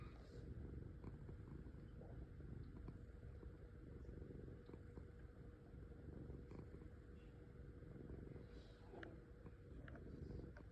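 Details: A pet cat purrs with a continuous low vibrating rumble, steady throughout, with a few soft clicks and light rustles on top and a faint background hum.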